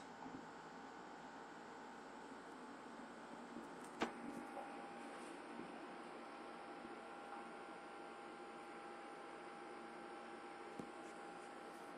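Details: Steady electrical hum and faint hiss fill a small indoor room, broken by a single sharp click near the middle, with no animal voice present.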